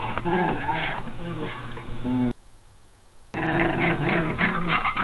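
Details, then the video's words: Angry domestic cat giving a warning growl of anger, fear or territoriality: a deep, rough, rumbling growl with grainy overtones for about two seconds, a brief silent break, then the rumble resumes to the end. "Angry Cat Growl Sound Effect | Feline Warning & Territorial Call"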